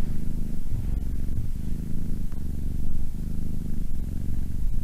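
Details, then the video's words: Softer cat purr, a low buzzing rumble that rises and falls with breathing about every 0.8 seconds, slightly uneven in loudness. "Cat purring"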